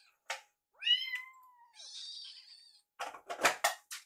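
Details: Rescued baby kittens in foster care at mealtime, Yuki-chan eyeing and nibbling Piyo-chan's leftover food; one clear, rising-then-falling harmonic meow near the start, followed by a thin high whine, then crackly rustling and clicking bursts of eating noise.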